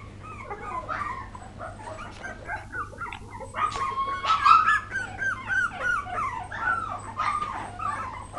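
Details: Poodle puppies recorded in 2012, giving a continuous tangle of high, squeaky whimpers and yelps that rise and fall and overlap one another, growing louder midway, over a steady low hum.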